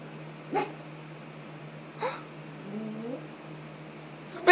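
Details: Yorkshire Terrier named Nemo, a pet dog at home near his bed, giving two short sharp yips about a second and a half apart, then a softer rising whine, with a faint steady hum behind and a person urging him to speak.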